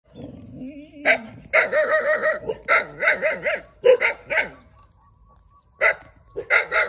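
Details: Cute puppy that barks a lot, giving high, yappy barks in quick runs of three to five, with a brief thin whine before the first bark and a short pause midway.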